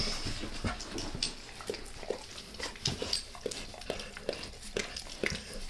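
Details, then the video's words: Max the dog licking his owner's face indoors, a wet smacking series of tongue clicks and slurps at an uneven quick pace, with soft snuffly breathing between licks and no talking. "Max Licks | Face Part Deux | ASMR DOG LICKING"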